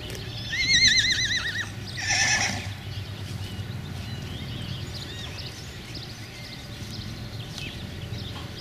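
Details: Arabian horse herd with 2017 foals at the Marbach state stud, Germany, recorded 25 May 2017: a loud quavering whinny near one second, then a second shorter neigh around two seconds, followed by faint calls over steady outdoor background noise.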